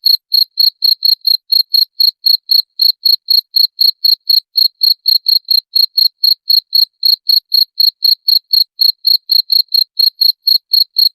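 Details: Loud cricket song used as a rat repellent, a shrill, pure chirp repeated around four times a second in an unbroken even series, clean and free of background noise.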